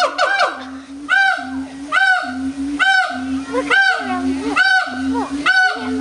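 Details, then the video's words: Zoo howler monkeys at Audubon Zoo, New Orleans, 16 August 2008, roaring loudly: deep, droning, harmonic calls, each ending in a rising and falling arched tone, repeated roughly once a second. "Howler Monkeys"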